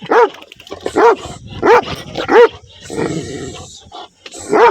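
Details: Angry black dog with white markings barking: loud, sharp, clipped barks in an irregular run, about one every half second to second, with a hoarse rasping outburst partway through.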